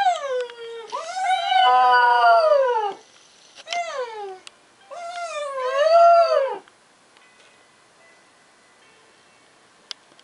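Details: Pet Border Terrier Alfie howling for the first time, having joined in when a person whined at him; two long sliding howls that rise and fall with a short yelp between, then near-silence for the last four seconds.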